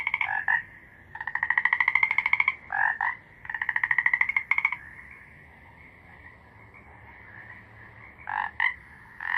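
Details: Frog alternating short double croaks with long rapid rattling trills, then returning to spaced double croaks.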